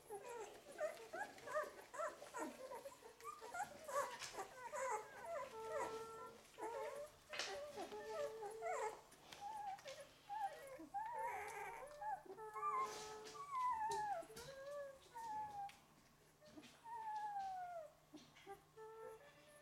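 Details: An eleven-day-old litter of Golden Retriever puppies whines and squeaks in high, wavering, overlapping cries.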